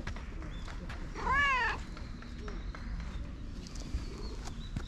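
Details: A raccoon-dog-looking cat in its fluffy winter coat, having its belly rubbed, gives one short meow of under a second that arches up and then falls, against a low rumbling background with faint rustles.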